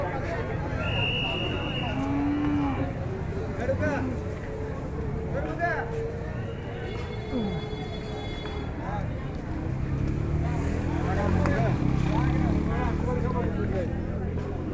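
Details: Cattle at a crowded three-day market in Begumganj, Noakhali, Bangladesh, on Friday 14 June 2024 before Eid al-Adha; a few drawn-out moos over dense crowd chatter, shouting and general market noise.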